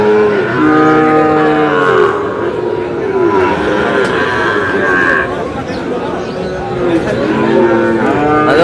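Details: Sahiwal calf mooing in long, wavering calls early and again near the end, amid steady background talk of people at a livestock sale.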